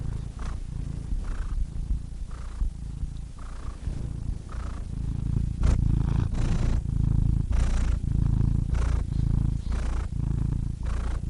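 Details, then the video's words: Continuous deep cat purr with regular breathy pulses roughly every second, the rumble growing slightly louder midway and staying even throughout. "Cats Purring Soothing Sound Effects (Relaxing Cat Sounds)"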